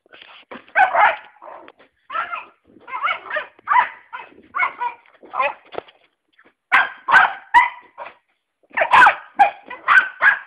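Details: Five-month-old Cocker Spaniel named Fudge barking steadily, short yapping barks spaced about half a second apart, some with a whiny edge, coming in two runs separated by a brief pause.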